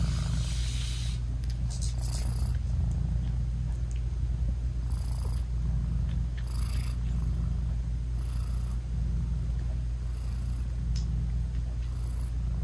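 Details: Nursing British Shorthair mother cat with tiny closed-eyed kittens, purring steadily; low even rumble throughout, with faint airy puffs recurring every couple of seconds over the drone.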